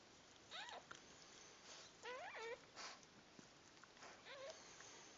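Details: Newborn puppies being born cry in a run of reedy, wavering squeals, several quick pitch-swooping yelps in a row, then a softer squeak near the end against steady low hiss.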